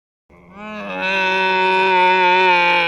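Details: Camel giving one drawn-out, nasal, moaning call that rises briefly and then holds a steady, strongly harmonic tone for about two seconds, with nothing else heard.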